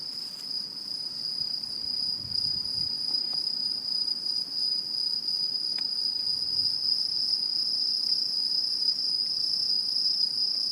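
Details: Autumn insects singing in a Japanese satoyama countryside in 2016: a steady, continuous high-pitched ringing trill with a fainter higher overtone, unbroken and even throughout.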